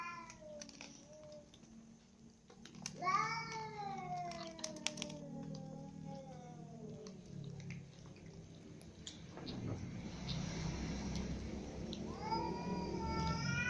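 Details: Ginger cat, mother cat and little kittens share dinner; a series of harmonic meows falls in pitch early on, then rustling and noise, with another rising meow near the end.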